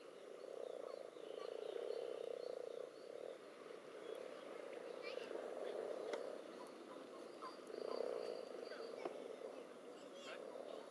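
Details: Common toads jostling with several frog species in a pond during spawning, recorded above and below the water surface. A continuous low purring chorus rises in loudness in waves, with scattered clicks and faint higher chirps on top.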